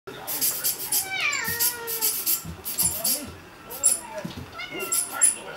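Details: Munchkin cat Kikunosuke, one of the house cats, plays with a camera air blower and reacts to its puffs. A drawn-out, falling meow, then shorter chirping calls, over soft hissing bursts of air and faint human voices.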